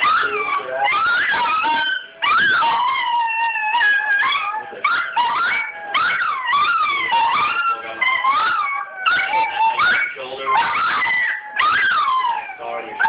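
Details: A Toy Fox Terrier howls in wavering, sliding tones along with a TV commercial's music, as it sings every time that commercial comes on.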